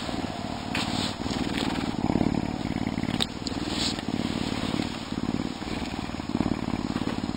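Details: A Canada lynx kept as an animal ambassador purrs deeply in February with a storm coming; coarse, fast low pulsing rises and falls in waves about every second, with a few light clicks.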